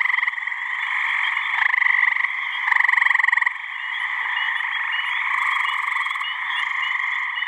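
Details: Springtime chorus of male gray tree frogs calling for mates from a New Hampshire pond on a warm mid-May evening; loud rattling pulsed trills overlap, with one nearer frog's trill standing out briefly before sinking back into the din.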